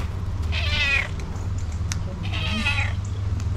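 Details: A fluffy Persian cat, wet after rain, gives two drawn-out, tonal meows in greeting on seeing a familiar person, alongside a tuxedo cat friend, over a steady low background rumble.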